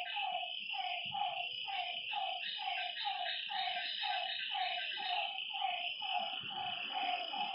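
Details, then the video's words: Frogs by a lake after dark: a clear run of evenly spaced, slightly falling mid-pitched notes, close to two per second, set against a bright continuous insect buzz. The low background is nearly quiet. "Lakeside night creatures and frog sounds"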